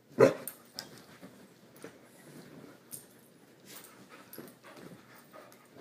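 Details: Female puppy at bedtime, still burning off leftover energy from the day, lets out one short, loud yelp-like bark right at the start, then only soft rustling and scattered light clicks of movement follow.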